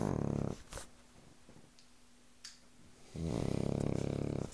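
A Cavalier King Charles Spaniel snores in deep, rattling breaths separated by a quiet pause.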